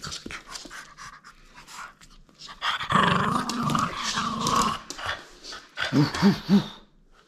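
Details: Playful French Bulldog holding on to a toy it will not give up, letting out a low rumbling growl of nearly two seconds that swells and fades, then three short grunting bursts near the end, amid soft breathy snuffles.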